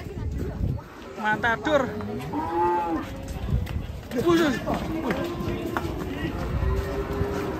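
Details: Rampaging cow rolling as it comes down off a truck; several drawn-out, wavering moos rise and fall over loud background music, with shouting people nearby.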